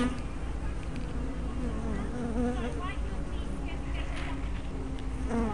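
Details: Honey bees at a hive entrance on 24 May 2012, recorded with a small spy cam and 180-degree fisheye lens: a steady low droning hum with wavering buzzy tones sweeping up and down as individual bees fly past.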